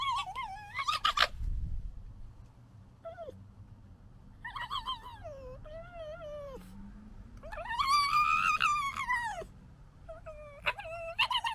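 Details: Red foxes from the 2021 litter, fighting: wavering, nasal whines that rise and fall, some drawn out and quavering, others short, separated by brief gaps with a low rumble underneath.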